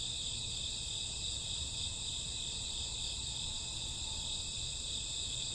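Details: Summer or autumn night with chirping crickets forming a steady, shrill, overlapping trill that holds unchanged from start to end, a quiet low murmur underneath.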